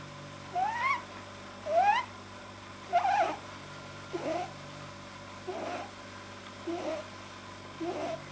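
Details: A domestic rabbit makes short, nasal, upward-sliding squeaks like soft honks, about once a second, growing weaker and rougher, over a faint hum; a vet suspects an overlong soft palate causes these sounds when he is deeply relaxed.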